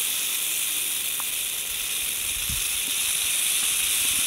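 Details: Western diamondback rattlesnake poised to strike, its tail rattle a constant sizzling high buzz without pause, even in loudness throughout, with faint low knocks near the middle.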